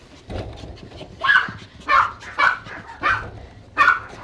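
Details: Dog barking loudly while being groomed at a grooming salon in Tampa, his barking once measured at about 110 decibels: sharp bright barks roughly every half second, five in a row after a soft start, with faint background noise.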